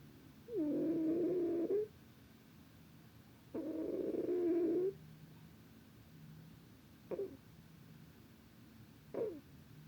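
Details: Sleeping cat snoring with long, humming, nasal snores lasting over a second each, two in a row, then two short faint snorts, against a quiet indoor hum.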